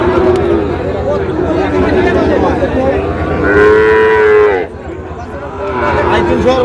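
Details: Sahiwal cattle, bull calves sold to a Pabna farmer in Bangladesh on 23 August: continuous chatter and bargaining, then a single strong, slightly falling moo of about one second near the middle, followed by more crowd noise.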